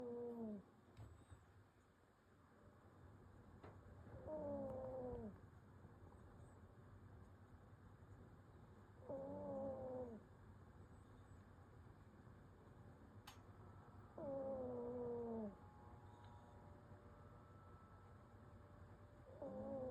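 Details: Pomeranian fast asleep and snoring: whistling, nasal snores that slide downward in pitch, each lasting about a second, recurring roughly every five seconds over a low steady hum.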